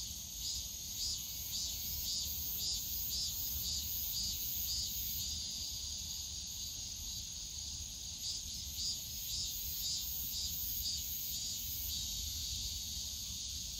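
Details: Cicadas on a summer day in the bamboo grove of Yongsan Family Park: a dense, steady high-pitched buzzing chorus, topped by a faster pulsing shrill layer that beats about twice a second, over a soft low rumble of park noise.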